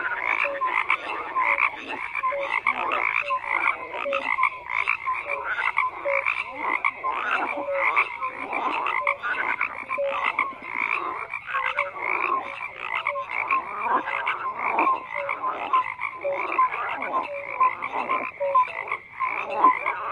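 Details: Frogs croaking in a thick, unbroken chorus, grating pulsed calls repeated quickly with brief bright tonal blips, loudness rising and dipping in rapid rhythmic bursts.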